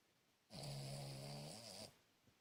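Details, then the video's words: Cavalier King Charles Spaniel snoring very loudly while asleep indoors; a single long buzzing snore lasts over a second and dips in pitch at the end, followed by quiet breathing. "Cavalier King Charles Spaniel Snoring Very Loud"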